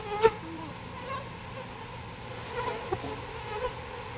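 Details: Bees being moved from a birdhouse into a bee box during a rescue, a steady low droning buzz running throughout, broken by a few sharp knocks and handling clicks.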